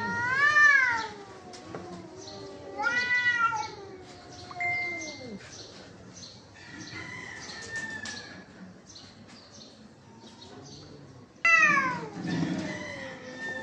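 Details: Fighting cats trade sharp, rising-then-falling screeches in bursts at the start, around three seconds and near twelve seconds, with quieter drawn-out moans and growls filling the gaps between outbursts.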